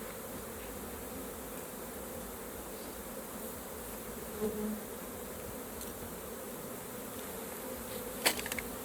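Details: Honey bees at an open hive during a raw honey harvest. A steady, low droning hum holds throughout, with a brief louder flutter near the middle and a sharp tap close to the end.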